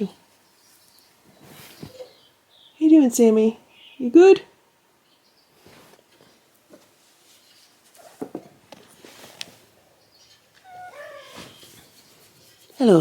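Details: A domestic cat in a household of eleven cats gives two loud, arching meows in quick succession, each rising then falling. Quieter indoor sounds follow, and the clip ends with another rising cry.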